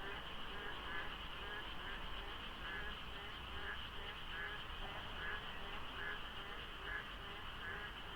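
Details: Frogs chorusing in the dark before dawn during the rainy monsoon season at the Deokso IC highway interchange, light fog, little traffic; many overlapping callers give rhythmic croaking pulses about twice a second over a steady high drone and low traffic rumble.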